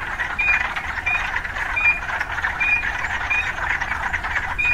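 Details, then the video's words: Chorus of urban frogs, a dense rasping bed of sound, overlaid by brief flat whistle-like notes recurring every three-quarters of a second or so. "Urban Frogs"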